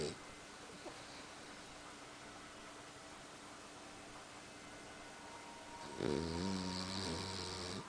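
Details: Sleeping French Bulldog named Vannille snoring indoors: about six seconds of faint steady room hum, then one loud rasping snore with stacked low buzzing tones filling the last two seconds.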